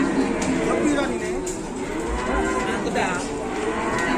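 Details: Cattle coming down from an overturned truck at Cementel give drawn-out lowing moos. The calls are partly buried under a dense, noisy background of commotion.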